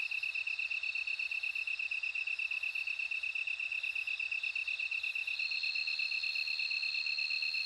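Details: Bell cricket song: a steady, bright, high ringing trill pulsing about three times a second without pause, with a fainter higher buzzing layer strengthening in the last seconds; no other animals or voices.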